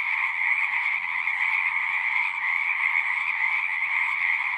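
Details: At a pond within a horse pasture, a mass of frogs sings in a thick, continuous buzzing chorus, recorded with a Zoom 6; the level stays even, and a soft low rumble sits beneath.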